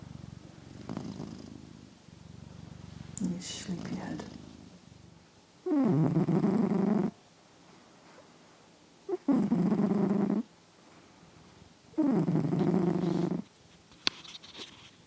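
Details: Loud snoring from a sleeping male house cat, captured indoors on new RØDE microphones: softer rumbling first, then three strong, rasping snore breaths of about a second each, spaced roughly three seconds apart.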